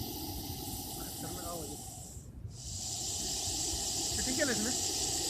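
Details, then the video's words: Loud hissing from a Russell's viper, a continuous airy high-pitched rush with one brief gap midway and faint voices murmuring underneath. "Loud hissing sound of Russell's viper."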